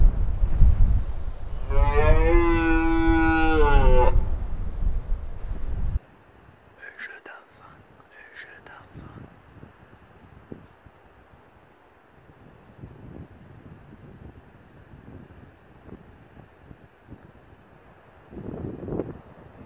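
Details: Red deer roaring during the rut on Mont-Lozère in the Cévennes National Park, France, 2016: one loud, deep, harmonic bellow lasting about three seconds, followed by near silence with faint rustles and a brief soft sound near the end.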